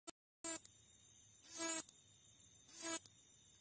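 A katydid gives harsh, buzzy rasps, each lasting under half a second and repeating about every second.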